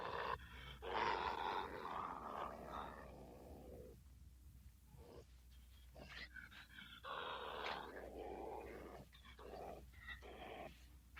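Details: Badger making aggressive growls; rough, rasping growl bursts of one to two seconds with short gaps, low steady hum underneath.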